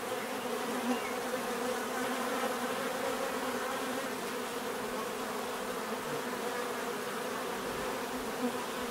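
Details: Bees buzzing naturally, a dense steady drone of many wingbeats with bands of hum layered through the low and middle range, continuous and even in loudness with no other clear sounds.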